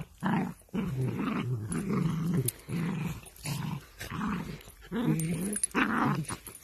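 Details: Miniature dachshund at play, growling in a string of rough, low, rumbling bursts, each about half a second to a second long, separated by brief pauses, with little other sound around it.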